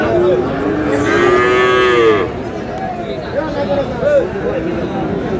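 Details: A Sahiwal breed bull calf lows loudly at the Aftabganj haat, Dinajpur, during buying and selling at the market's start on 8 August: a long harmonic moo of about two seconds, followed by crowd chatter and fainter bellows.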